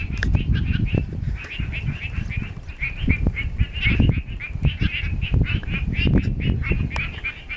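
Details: A chorus of frogs in Eaton, Western Australia gives rapid, repeated nasal notes over strong gusting wind.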